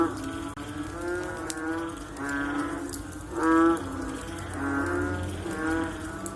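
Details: Frogs after rain producing low, groaning, cow-like calls that overlap in a dense chorus. One nearer call swells loudly in the middle, while softer calls continue on either side.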